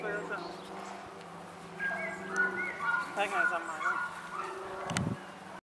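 German Shorthaired Pointer puppies give thin, high whines and squeaky yips over a steady low hum.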